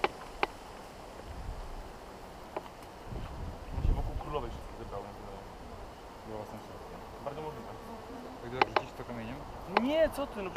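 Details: A swarm of western honey bees (Apis mellifera) in a garden hums in a dense, steady buzz, with people talking in Polish nearby.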